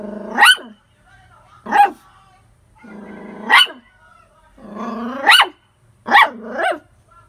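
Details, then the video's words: Poodle dog barking: about six sharp, high barks at irregular gaps over seven seconds, several preceded by a low rumbling growl that rises into the bark, with one quick double bark near the end. "Suara Anjing poodle menggonggong"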